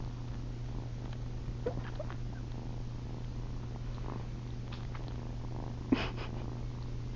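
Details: Nighttime purring from Ollie, a young female cat attempting to nurse on someone's chin indoors: a constant deep drone with light smacking sounds and a short louder rustle near the end.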